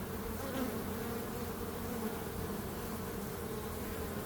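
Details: Bees buzzing in a steady, droning hum with a low fundamental and a brighter overtone, continuous and even throughout, with a faint broadband hiss behind it.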